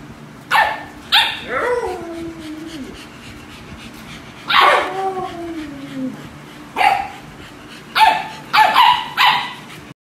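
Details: Two-month-old Pembroke Welsh Corgi puppy giving short sharp yips and two longer descending whines, the calls coming in irregular bursts.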